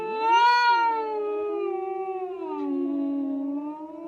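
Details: Domestic cat giving one long, continuous, wavering yowl lasting about four seconds, rising briefly at the start and then sagging lower in a drawn-out, moaning tone, with no other sounds present.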